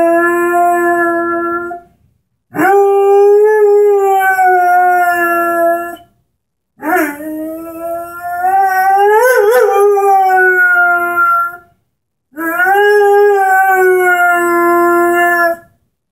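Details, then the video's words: Airedale Terrier Henry, 10 months old, singing beside his orange squeaky ball: four long harmonic howls separated by short pauses, mostly steady in pitch with one rising wobble near the middle. "Henry, the singing Airedale"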